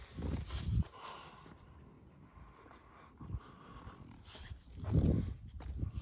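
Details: French Bulldog outdoors on its first time in fog at Jaywick in 2018; low, rough snorting huffs come in short bursts near the start and again around five seconds, with quieter breathing and faint rustling between.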